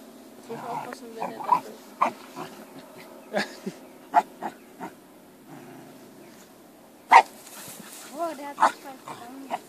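A Shiba Inu gives short yelps and wavering whines, with sharp clicks and some human speech.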